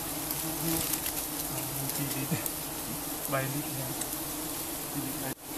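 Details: Loud, steady humming of many giant honeybees while their honey is being harvested, a constant low drone overlaid by a man's speech in short phrases, ending with an abrupt thump.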